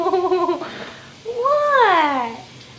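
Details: A rescued male kitten called Mr. Whiskers, a loud, whiny cat wearing a diaper at home because he sprays, utters a flat nasal cry and then a longer meow that rises and falls, in a small room.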